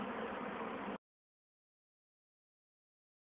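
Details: Roughly a second of broadband hiss like passing traffic, then complete silence, with no animal voice heard.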